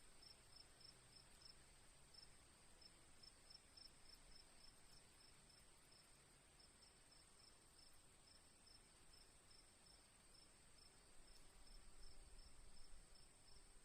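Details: Faint, rapid cricket chirps, high and pulsing, continue throughout against a steady shrill tone and a rumbling low-frequency background that grows slightly louder near the end.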